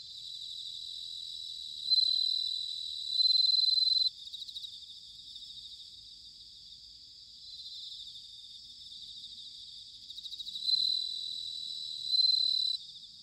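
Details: Bell crickets singing in autumn at Sanuki, Chiba, Japan: loud, ringing high trills of about two seconds at 2, 3, 11 and 12 seconds, rising over a dense, steady background chorus of other crickets.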